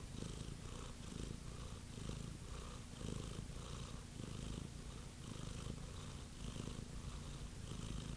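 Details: Cat purr, a deep continuous rumble pulsing in even waves roughly every second as the cat breathes in and out, close and loud with no other sounds.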